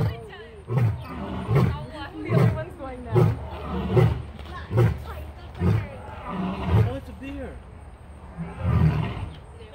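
A lion gives a series of deep, grunting roars, each pulse coming just under a second apart.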